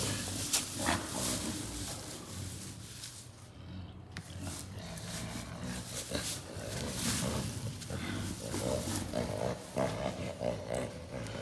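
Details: Western lowland gorillas wrestling playfully behind the scenes at a zoo ape house, giving low, breathy, staccato laughter: rapid rough grunting pulses, about three per second, with shuffling and scuffling noise throughout.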